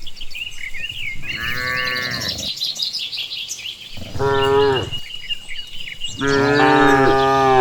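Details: Cattle herded home after grazing in the countryside, with three long, rich moos spaced a couple of seconds apart, the last one strongest and sustained; small birds twitter and chirp throughout, no music.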